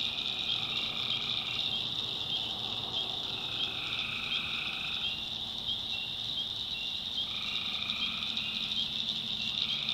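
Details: North Carolina swamp at night, tree frogs calling in a thick chorus: a constant high ringing hum with repeated lower trills in bursts of about two to three seconds, separated by short gaps, crickets also present.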